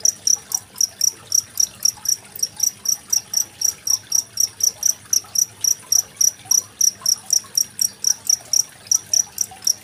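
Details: Cricket chirping beside trickling water, recorded 25 February 2023 and used as a master sound for training competition songbirds such as magpie-robins; high, ringing pulses repeat about four times per second, steady throughout, with a faint hiss of running water underneath.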